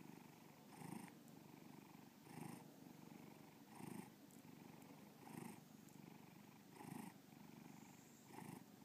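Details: Bubba, a pet cat, purring in Lakewood, Ohio; steady low rumble with louder breathing surges about every one and a half seconds, six clear cycles.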